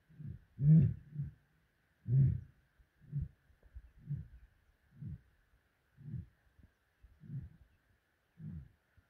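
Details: A lion at iMfolozi roars deeply twice in the misty dawn, then trails off in a run of short grunts about once a second.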